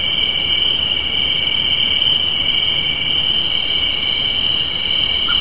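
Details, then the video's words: Crickets chirping on a spring evening porch: a steady, dense high trill with a second shimmering pulsed layer above it, continuous for the whole stretch with no pauses. "Soothing Crickets Sounds"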